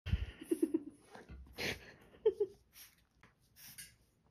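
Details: A French Bulldog, seemingly imitating a guinea pig, makes brief squeaky chirps in quick runs of three or four, broken by snuffling snorts, wheezy breaths and a laugh-like huff in the background.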